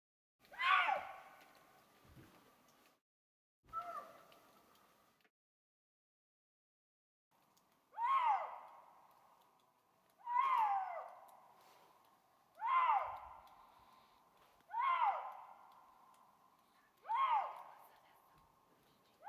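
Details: Eurasian lynx in the Bavarian Forest National Park, calling to a mate late at night under overcast skies with snow showers. Seven loud, descending, wailing calls with harmonics sound about every two and a half seconds, with a pause after the second.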